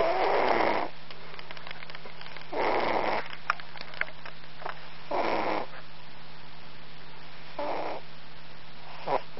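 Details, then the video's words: A sleeping cat snores in raspy breaths roughly every two and a half seconds, each rattling snore followed by a short quiet pause, over a steady low electrical hum. "Cat snores"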